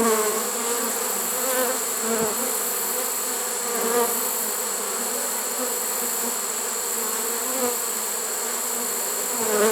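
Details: Steady massed droning of a honey bee swarm taken in a swarm trap unusually late in the season, early September 2019, with slight swells in loudness and nothing else audible.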